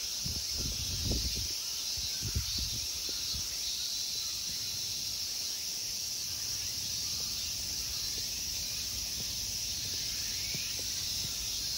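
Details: At the Ikegami Honmonji temple park in Tokyo, Japan, summer insects give a constant high-pitched droning buzz; a few low knocks and thumps come early, then the steady chorus carries on alone.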